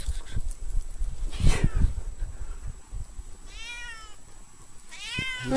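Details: Cat crawling through deep snow, digging in and coming back out; two drawn-out harmonic meows near the end, each falling slightly in pitch, after a burst of crunching and rustling in the snow.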